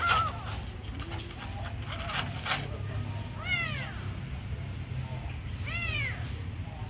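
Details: Kitten meowing while being given food: two clear arched meows in the second half, each rising and falling, over a constant low hum with faint background talk.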